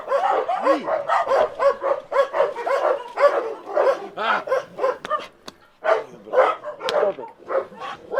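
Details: Barking dogs met during a rescue trip in Ukraine: loud, sharp barks in a steady run for eight seconds, with yelps and occasional higher yips. There is a brief lull near the end before the barking resumes.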